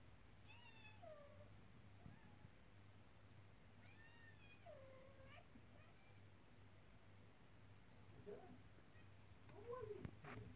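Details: Three-week-old Devon Rex kittens in a Saturday morning ruckus: thin, high mews that rise and then fall, a pair near the start and another run midway, then scuffling and rustling toward the end over a steady low hum.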